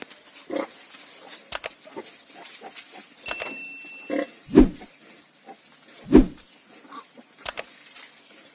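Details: Pigs on a farm with ten newborn piglets, scattered quiet grunts and two loud deep grunts about one and a half seconds apart, with clicks and a steady hiss behind.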